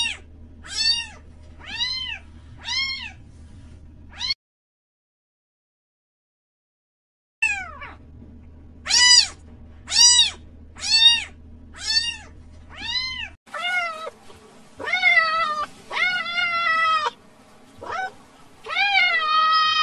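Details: Cat meowing in short arched harmonic calls, four quick meows, a pause, then a fast run of repeated meows roughly every half second, later calls lower and longer; a low steady hum underneath.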